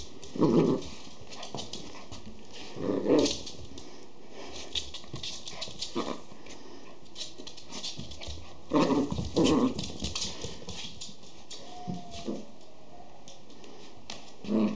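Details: Schipperke puppies give short, husky yaps in scattered bursts, with a thin falling whimper near the end. Finding: Schipperke (Canis familiaris), puppy calls.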